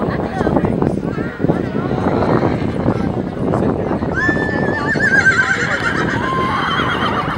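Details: Off-track Thoroughbred at a Thoroughbred horse show at Pimlico Racetrack on a July Saturday; a wavering whinny rises from about four seconds amid steady crowd chatter and hoof clatter.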